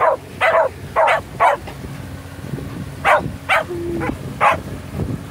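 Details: Shetland sheepdogs on their first boat ride of the season, so happy they howl for joy: short yelping howls come in quick bursts, some paired, over a steady low boat-engine hum.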